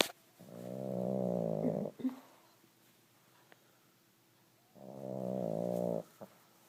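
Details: Pug snoring in its sleep: two drawn-out, even, buzzy snores a few seconds apart, a small snort after the first, otherwise quiet room.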